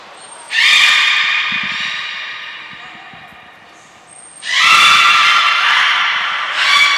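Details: Belugas Gray and Mirai during a training session at Port of Nagoya Public Aquarium, 15 June 2022: a sharp high whistle note precedes each of two loud, buzzy, harmonic-rich squawking calls, the first long and fading, the second near the end.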